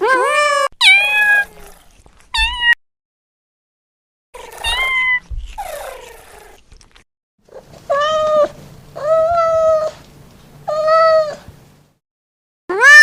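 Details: Domestic cat calling in a way likened to laughter: short sharp meows and yelps early, then a run of four even, steady meows about a second apart near the end.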